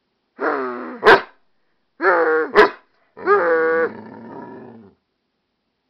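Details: An American Staffordshire Terrier and pit bull mix called Wolf talks back to its owner. Three drawn-out, wavering howl-barks each end in a sharp clipped bark, spaced about a second apart, and the last one trails into a rasp.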